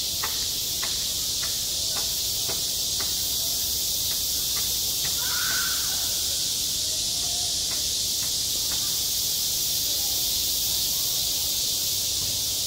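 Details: Summer cicada chorus over a school playground, a steady shrill buzzing that never pauses, while soft far-off voices and a series of brief sharp clicks sound underneath.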